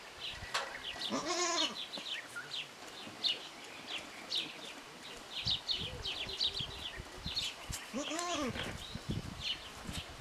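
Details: Three-day-old goat kid born with malformed front legs, fitted with an improvised support of pipe pieces and tape, at Parignargues, France; two wavering bleats with clear harmonics around 1.2 and 8 seconds, amid faint rustling and clicking noises.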